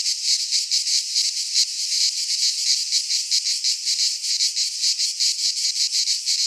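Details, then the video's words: Chorus of cicadas in a Greek pine forest at midsummer, a harsh continuous buzz throbbing in quick uneven pulses, loud and unbroken, nothing else audible. "Cicadas singing in midsummer"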